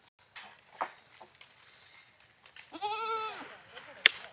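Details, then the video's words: Goat giving a single wavering bleat lasting under a second, harmonics arching up then down, after a stretch of faint clicks and soft noises; a sharp click follows. "Funny Goat Sounds Videos"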